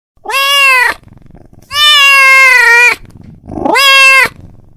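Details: Domestic cat calling his friend with three long, loud meows, the middle one stretched over a second, bright and harmonic with a slight rise and fall in pitch.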